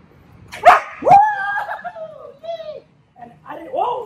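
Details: Female dog barking on command during training after the verbal cue "respond", with a toy held behind the trainer's back; two sharp barks early on, then drawn-out whiny tonal cries sliding downward, with a man's voice praising nearby.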